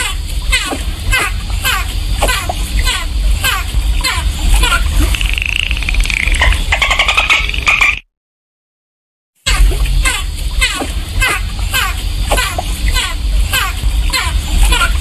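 Dolphin clicks in rapid trains, with a rising whistle, over a deep underwater rumble.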